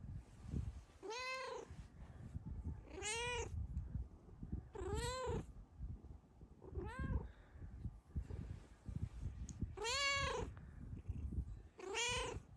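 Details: A female Snow Lynx Bengal cat, happy while lying on top of her sleeping owner, gives a series of clear, arching, content meows, one about every two seconds.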